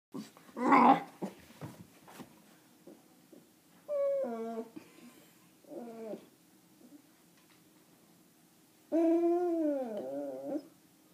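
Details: A frustrated female Bull Terrier gives wavering whines and grumbles sliding downward in pitch because she can't get her toy from under the table.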